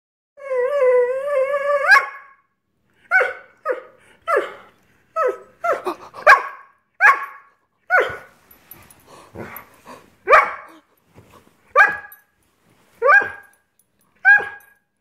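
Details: Greyhound throwing a tantrum, frustrated that dinner has not yet been served, indoors: opens with a long wavering whine-howl, then sharp yips and barks repeated roughly every half to one second.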